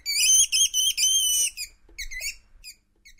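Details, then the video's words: Least weasel sound meant to scare moles away: loud, shrill, sustained squealing notes in three long pulses, followed by softer, shorter wavering squeaks that fade out. "Звук ласки для отпугивания кротов"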